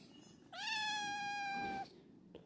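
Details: Kitten playing early in the morning gives one clear, drawn-out meow lasting over a second, steady and slightly rising at the start, with a faint rustle afterwards.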